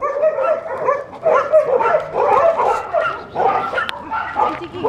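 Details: Leonberger recorded in September 2013, giving a steady run of loud, tonal barks and yelping woofs that overlap almost without pause, with people talking nearby.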